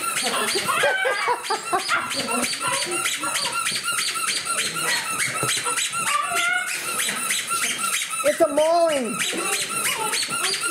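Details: A litter of 10-week-old puppies swarming a person indoors, giving rapid, high-pitched squeaks and whines that overlap almost continuously, with a longer arching whine near the end; a woman talks and laughs over them in a small room.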